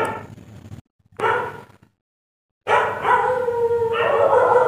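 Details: Dog at night producing short broken yelps and whines separated by silent gaps, then a sustained wavering howl that holds and bends in pitch toward the end.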